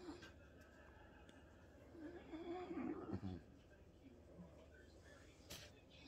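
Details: Bob the French Bulldog sits with his owner watching TV in a home office and talks back with a drawn-out, wavering grunt lasting about a second, over a low room hum and faint television sound.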